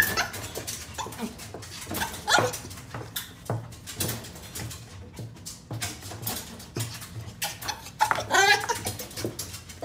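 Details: White male dog born 2 February 2018, possibly Coo or Riku, giving a rapid run of sharp, broadband barks and yaps through most of the ten seconds, with a higher, strained whine-like bark near the end; faint background hum.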